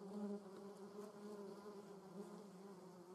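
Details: German yellowjackets (Vespula germanica) at the nest: a short burst of steady low buzzing, with one wasp humming loudly close by at the start before the drone settles to an even, overlapping hum.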